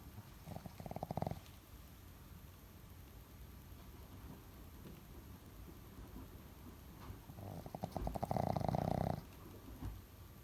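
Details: Nine-month-old Boston Terrier snoring while buried in fluffy laundry; two rattling, pulsed snore bursts, a short one near the start and a louder, longer one about seven seconds later, with quiet breathing between.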